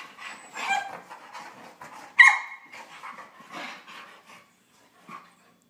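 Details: Playful wrestling from a Husky, Chihuahua and Lab mix pup, with gruff grumbles and huffs, a sudden piercing yelp about two seconds in, then a few softer grunts fading to near silence.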